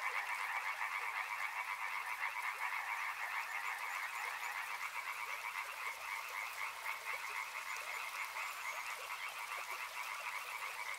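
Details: Many frogs calling together in a continuous dense chorus, overlapping croaks in two bright bands, steady throughout, with a faint soft hiss behind.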